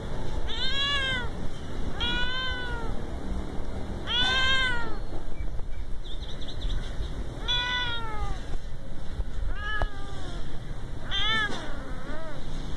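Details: Cute little cat giving a series of about seven meows, each a short arched or falling harmonic cry, repeated every one to two seconds against continuous low rumbling background noise.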